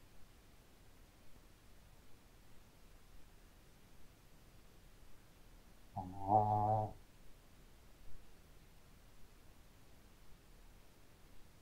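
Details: A sleeping pet Shih Tzu dog snores loudly: a single harsh, droning snore lasting about a second in the middle, rich in buzzy overtones, with quiet room background before and after.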